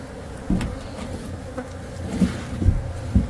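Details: Some 30,000 honeybees in a colony under a shed floor being uncovered during a rescue give a low, dense buzzing hum. Thumps, handling noises and people's voices can also be heard.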